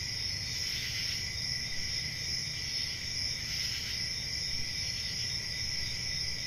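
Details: On a summer night in the forest, crickets trill in a constant high shimmering chorus, swelling slightly twice, over soft low-frequency background noise.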